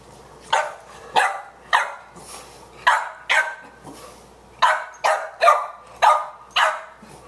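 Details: Boxers at play, Margie the puppy and Ziggy, loud short barks in a quick run, about eleven in seven seconds, each sharp and falling, spaced roughly half a second apart with brief pauses between bursts.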